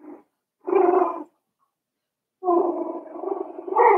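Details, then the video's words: Five-week-old Cavalier King Charles Spaniel puppies in Daisy's puppy pen give loud, harmonic grumbling whines in two bursts, a short one and then a longer, wavering stretch that rises in pitch at the end. "Cavalier King Charles Spaniel Puppies Livestream"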